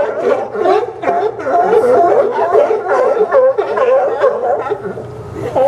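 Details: Sea lions barking on the Newport Sea Lion Docks at Yaquina Bay, Oregon, September 20, 2015: a dense chorus of overlapping hoarse, wavering barks, roughly two per second, from many animals at once.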